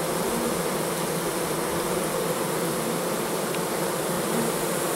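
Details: At a September 2014 apiary, a loud, even swarm-like buzzing fills the air as honey bees carry in goldenrod nectar during a strong flow in perfect weather. The hum stays unbroken throughout.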